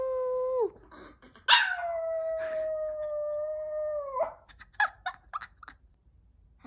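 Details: Maltese dog. A Maltese dog answers its owner with a sustained, even-pitched howl lasting nearly three seconds, preceded by a brief falling note. A scatter of short, clipped yips and whines follows as the howl breaks off.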